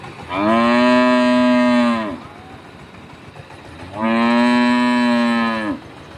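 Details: Cow at a village market, one of five cows mooing: two long, steady, loud moos of under two seconds each, separated by a quiet gap of about two seconds, ending with a slight downward slide.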